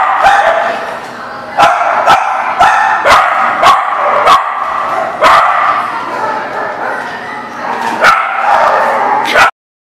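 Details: Several overlapping dog barks, sharp and repeated, form a near-constant barking din. Loud single barks stand out every second or so before the sound cuts off abruptly near the end.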